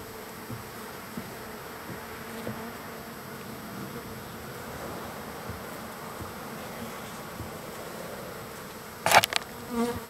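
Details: Many wild bees gathering at a feeding spot on the third day of being fed, producing a steady, dense, low hum throughout, with a brief sharp knock near the end.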